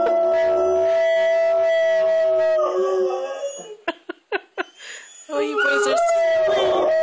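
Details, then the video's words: Two pet dogs howling along with a firetruck siren, sustained wailing tones, then a break filled with short clicks and a woman speaking before the howling and siren return. "Dogs Immitate Firetruck Siren"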